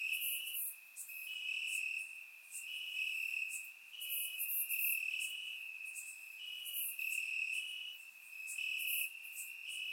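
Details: Crickets in grass on a warm Bulgarian summer night, recorded in surround sound, keep up a dense shrill trill punctuated by rapid high chirps that pulse in uneven waves.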